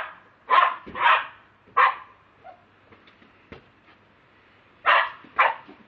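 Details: Lakeland Terrier, a household pet captured on a mobile phone, letting out a quick pair of barks, a single bark, a quiet pause with small noises, then two more sharp barks.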